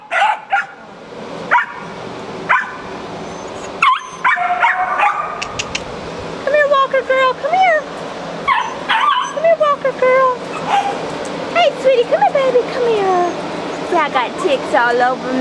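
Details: Barking and yelping kennel dogs at the Jackson, Tennessee rabies control, sharp barks mixed with wavering whines and howl-like yips, while a woman talks to a Walker Coonhound nearby.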